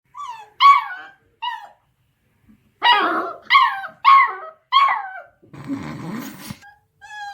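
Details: Beagle puppy, eight weeks old, barking at a deaf cat indoors: high yappy barks and yips in bursts, several close together around three to five seconds, with a brief rustling noise near the end.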